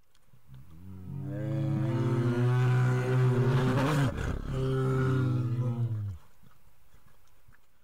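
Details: Grizzly bear at a zoo giving one long, loud, harmonic-rich roar lasting about five seconds, swelling and roughening in the middle before fading out.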